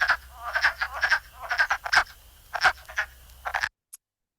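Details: Male wood frogs serenade at their spring breeding site in Robin Hood Park, Keene, New Hampshire, after migrating to wetlands. Several males overlap in short, duck-like clucking croaks with a quick, uneven rhythm.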